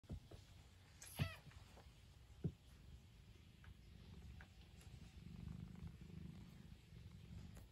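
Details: Domestic cat purring: a soft, low, steady rumble with two brief sharp taps early on and faint background hiss.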